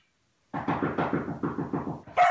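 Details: A dog that looks like a mop gives a rapid run of short, mid-pitched barks, about seven in under two seconds, ending in a sharper higher yelp.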